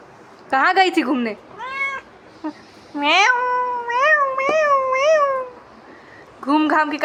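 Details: Pet cat pestering its owner, giving several loud, drawn-out meows with rising then wavering pitch, some running together, amid a person's speech and gaps of quiet.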